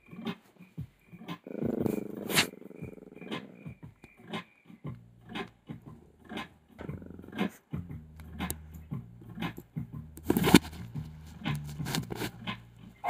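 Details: A frightened Boston Terrier puppy, terrified of a Dog TV video on screen, gives low, rumbling growls and short yelping barks in uneven bursts.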